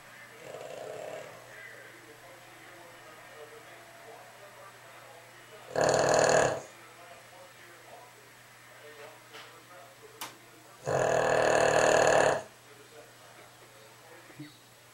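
A Boston Terrier snores in two loud, rasping bursts over a low background hum.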